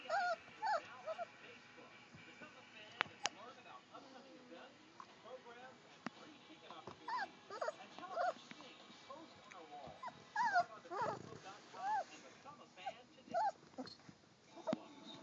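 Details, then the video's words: German Shorthaired Pointer puppies, three weeks old, at play; a steady run of thin whines, yelps and squeaky whimpers from several pups throughout, with faint talking and rustling underneath. "GSP Puppies Playing 3 weeks old"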